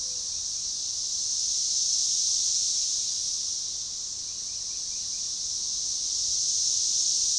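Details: Organized, synchronizing chorus of periodical cicadas, Magicicada tredecassini, at a forest edge by a baseball trail near DeValls Bluff, Arkansas, June 7, 2015: a dense high shrill hiss swelling and fading in slow waves, loudest near two and seven seconds.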